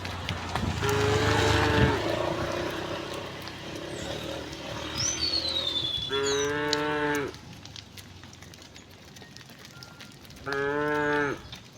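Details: Tame cattle walking along a quiet country road to the pen, mooing: several drawn-out harmonic moos, one long and hoarse early on, later two short clear ones; a bird's descending whistle and rural background noise.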